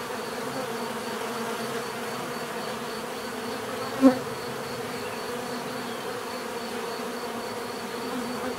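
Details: Bees buzzing in a low steady hum, softer and thinner than a swarm, broken midway by a single short click or tap, otherwise an even drone.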